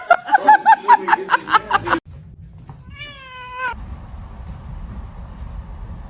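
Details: Indoor cat: a quick run of pulsed, harmonic vocal bursts, then one steady, level meow lasting under a second, followed by a low background hum.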